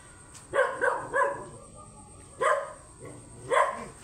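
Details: A very large Belgian Malinois during a stud session in San Fernando City, La Union, gives a quick run of three deep barks, then single barks a second apart, with quiet between.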